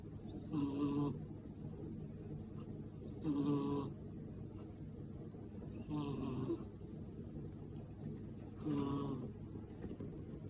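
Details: A sleeping kitten snoring: four soft, rhythmic snores about every two and a half seconds, each a short nasal rumble with a faint buzzy, tonal edge, separated by quiet breathing pauses in a calm room.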